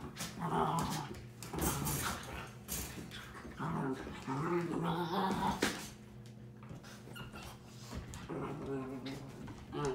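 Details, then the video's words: Two 7-month-old Miniature Schnauzer puppies, Sophie and Sally, play-fighting indoors: rough growls and whiny yelps in bursts, with human voices mixed in. "Sophie and Sally fighting"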